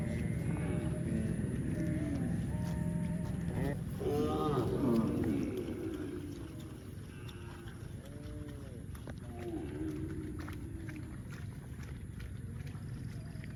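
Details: Domestic cow giving low, drawn-out moos with rich stacked harmonics over the first few seconds, then shorter bending calls, all over a steady rumbling engine-like background noise.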